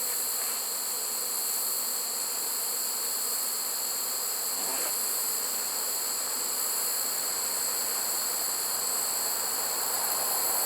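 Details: Late-season honey bee swarm in a trap on 1 September 2019, the sixth caught in that trap and spot, coming out of the woods: an unbroken, even droning buzz under steady high-pitched whining tones.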